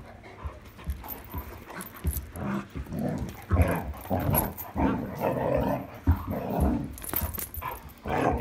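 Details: Playing at night with a new toy on 26 July 2022, an Irish Setter gives a rough, continuous run of low growls and grumbling vocal bursts, uneven in rhythm, with short thumps and scuffles throughout.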